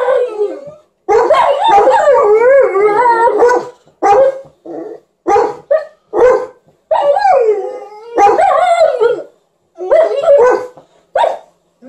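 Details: Alaskan Malamute howling together with a Golden Retriever in a singing performance: wavering, yodel-like howls and whines, sliding up and down in bursts of one to three seconds separated by short silences, with some bark-like notes.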